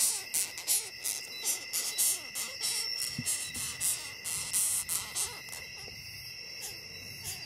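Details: Fast scratchy squeaks from a longhorn beetle, several per second and irregular, fading out in the last seconds, leaving only a faint steady high hum.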